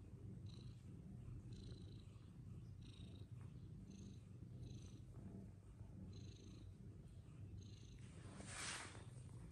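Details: Fluffy Persian cats at play; a steady, low continuous purring rumble throughout, with faint high chirping ticks repeating roughly every second and a brief hiss near the end.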